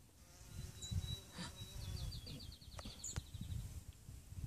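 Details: Carpenter bees, many of them, nesting in a brick wall, give a low, droning buzz that rises and falls as they fly close by.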